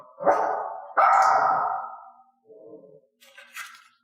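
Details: Two loud, raspy barks in quick succession from a dog being taught not to bark, the second longer and fading, then a faint low bark and a brief high scratchy noise at the end.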